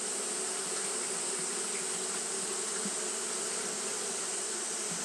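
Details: Continuous fanning by Japanese honey bees in hot weather gives a steady whirring hum, low and even in pitch, with faint flickers in the drone. A sustained high hiss runs beneath it all.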